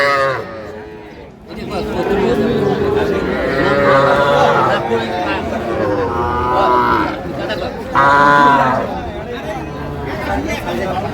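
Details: Cattle at a market in Pabna, Bangladesh, where farmers buy small bull and heifer calves, recorded 12/5/25; drawn-out harmonic moos rise over a busy crowd, with steady chatter and bargaining voices throughout.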